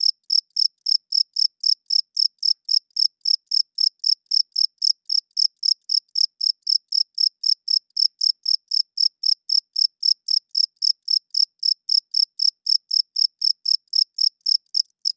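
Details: Nighttime cricket song, loud and steady: rapid, shrill chirps at roughly four per second, very regular and unbroken for the whole stretch, over a silent background.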